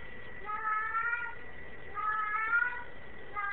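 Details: Domestic tomcat crying while in heat indoors, giving two long, wavering, nasal meows about a second each, with a third starting at the end, over a constant low hum.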